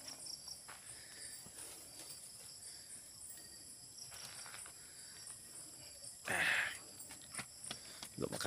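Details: Crickets chirping at nightfall around a copra drying site worked by coconut farmers; a steady, high, shimmering chorus runs throughout, with faint footsteps and a brief louder rustle near the six-second mark.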